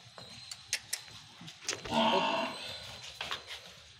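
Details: Pure Murrah buffalo on a Haryana dairy farm: a string of sharp knocks and clicks, then a short, low, harmonic moo of under a second, followed by more scattered taps.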